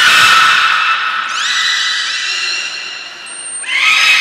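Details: Belugas Gray, Nana and Mirai being trained at Port of Nagoya Public Aquarium on 6 August 2023: loud, layered squealing calls that step upward and hold, a brief high whistle, then another bright rising squeal.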